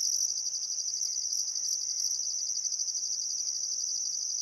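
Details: Crickets by the Barcoo River in Welford National Park, Outback Queensland, at summer sunset: an unbroken high shrill trill, slightly softer, with a few faint whistled birdcalls drifting underneath.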